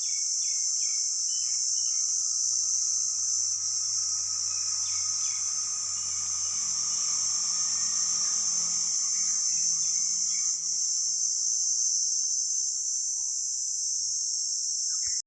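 Crickets keep up a sharp, high, steady trill that runs without a break.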